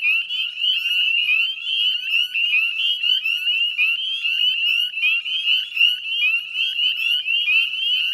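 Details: Massed northern spring peepers near a Nova Scotia salt marsh at dusk, mid-May 2020, producing a loud, even chorus of high clipped peeps rising in pitch, with the overall volume pulsing slightly.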